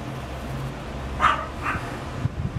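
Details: A Munchkin cat gives two short, bright mews in quick succession over a low background rumble.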